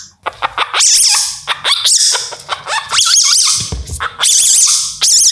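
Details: An Asian palm civet in India, calling at night, gives loud, shrill, wavering squeals in rapid bursts.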